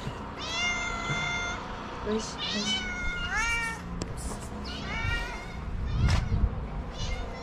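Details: Young cat at a small shelter for abandoned kittens in Morocco, meowing repeatedly: about five clear rising-falling mews spaced roughly a second apart, with light rustling and handling noise underneath.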